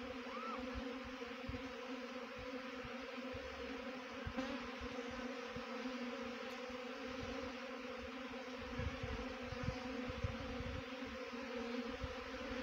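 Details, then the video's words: Swarming honey bees at a trapping site in Dehradun, Uttarakhand, give a constant steady hum with clear harmonic layers, with scattered low thuds and faint rustling in the background. "Best Honey Bee Swarm Trapping"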